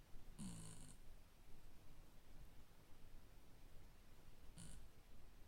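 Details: Shiba Inu named Nuts, sleeping and snoring indoors: a raspy, breathy snore burst lasting about half a second near the start, then a second shorter snort about four seconds later, with a quiet low rumble between.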